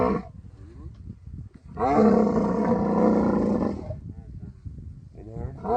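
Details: Camel during mating season in the Thar Desert of Sindh, Pakistan: a two-second burst of harsh, throaty roaring, then quieter rumbles and low murmuring, with a rough bellow returning at the end.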